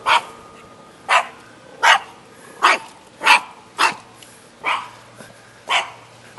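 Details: A shaggy dog in Jeonju, North Jeolla Province, Korea, barks in short, sharp bursts, about eight barks spaced roughly a second apart, each loud and broadband, over quiet background.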